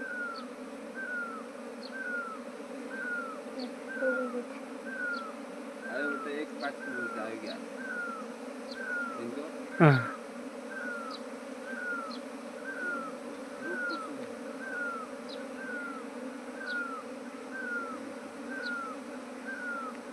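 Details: Continuous low droning hum of a swarm of bees that has settled at a trap box in Nepal, with a bird's short falling whistle repeating roughly every second, brief voices, and a sharp knock midway.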